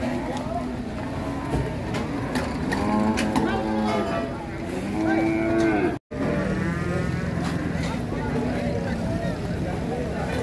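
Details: Cattle for qurban sacrifice, rampaging off a truck at Siyono Harjo market, lowing in several wavering moos over engine rumble, clatter and voices, with a brief dropout midway.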